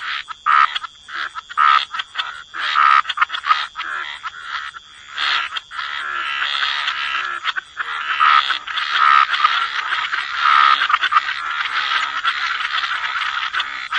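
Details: Frogs croaking by the waterside in wetlands, a dense overlapping chorus of short raspy croaks with a steady high background hum.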